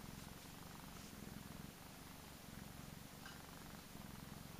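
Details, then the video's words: A little fat male Persian cat purring closely: a low buzzing rumble in quick regular pulses, breaking into short rhythmic bursts as it breathes in and out. "Cutest purring cat ever!"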